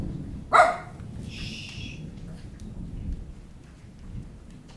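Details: Puppies Maise and Copper with their mother Sarah at play on a rainy June 23rd; one sharp, loud bark rings out early, followed by a brief hissing burst, then low rumbling rain-like background noise.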